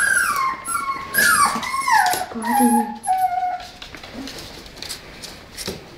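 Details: A playful Tibetan Terrier gives a run of clear, falling whines, several sliding down from high to lower pitch within three seconds, then fades to soft rustles.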